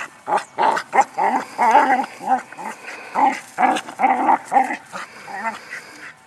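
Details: Border Collie named Ann herding a rock, voicing a steady run of high whiny yelps and short barks in quick bursts over several seconds, excited and insistent, with no other clear sounds.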